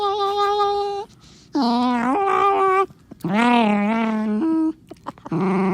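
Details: Black Morkie named Onyx defends his toy with eerie 'devil noises', a run of long, wavering, nasal moans and whining growls, some rising and bending in pitch, four bursts with brief silences between.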